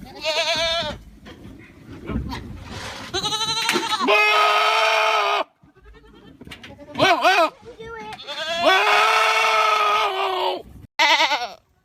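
A goat screams repeatedly, loud strained bleats that waver and crack like a person yelling. Short gaps separate the calls, and some are sustained for over a second.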